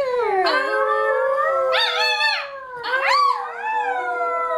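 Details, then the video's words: A pet dog indoors sings on cue, a trick taught by its owner. It gives a drawn-out, tuneful howl that swells into three rising-and-falling bursts, with wobbling pitch and rich overtones, and no other sounds. "Singing Dog!"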